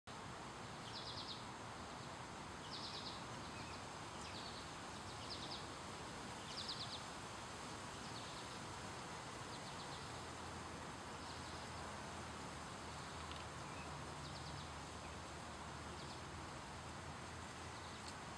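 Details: An Eastern chipmunk (Tamias striatus), recorded 13 August 2018, gives short, sharp chips, repeated steadily about every second and a half over a noisy background.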